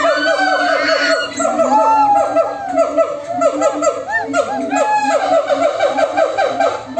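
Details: A noisy group of monkeys answering one another: dense, overlapping rows of quick downward-sweeping harmonic calls fill the whole stretch, with a sustained low tone and occasional higher arched notes.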